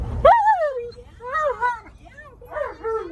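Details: Alaskan Malamute named Tonka complaining and arguing, refusing to wear his seatbelt on a car trip; short wavering whiny vocal bursts with rising and falling pitch, a woman's voice nearby.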